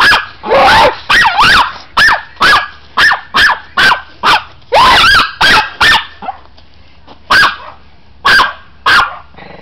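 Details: Chihuahua teased by a person, giving sharp high-pitched yaps in a fast run, then fewer spaced barks with short pauses.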